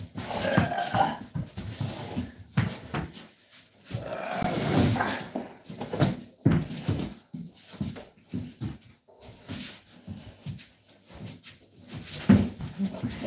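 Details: Cane Corso dog indoors in a small room, playing tug of war with its owner, giving low rumbling growls and whimpers in bursts, mixed with scuffling and the owner's voice.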